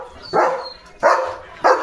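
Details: German Shepherd on morning watch, jumping and barking at the gate as another dog passes the house: three sharp, heavy barks evenly spaced about 0.7 seconds apart, with a faint high whine between.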